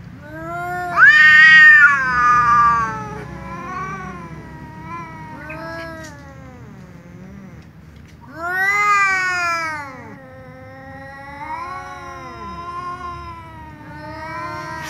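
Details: Tom cat and ginger cat meowing loudly at one another before sharing a meal: a loud, strained yowl opening, then a series of wavering, descending meows, another strong drawn-out wail around the middle, and softer trailing calls.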